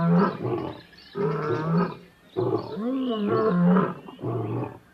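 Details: Lion in the African bushveld making deep, harmonic roaring bursts, several in quick succession with short pauses between them. One call bends up and down in pitch.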